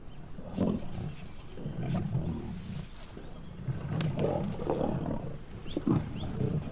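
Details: Five young lion brothers, newly independent of their mother, hunt and take down a giraffe on an African riverbank. Their deep, rumbling growls come in rough, low, gravelly bursts over a noisy outdoor background.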